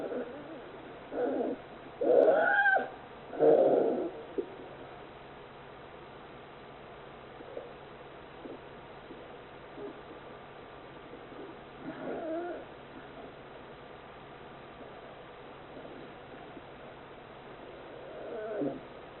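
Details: Forty-one-day-old polar bear cub at Oga Aquarium GAO, Akita, Japan, mother Yuki, in loud sleep snoring: a cluster of three harsh rasping breaths early on, then quieter, irregular snorts spaced several seconds apart.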